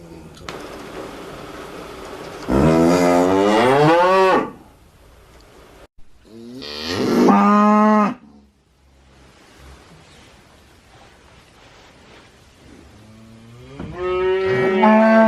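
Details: Cow mooing three times: a loud, drawn-out moo wavering in pitch, a shorter second moo a few seconds later, then a third rising at the end, with quiet background hiss between calls.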